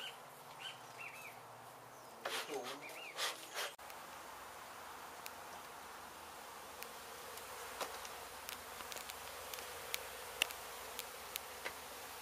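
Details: Disturbed honey bee hive during a rescue from a demolished house in Mission, Texas: brief bird chirps and bumping sounds at first, then an even, continuous swarm buzz with sharp little clicks scattered through it.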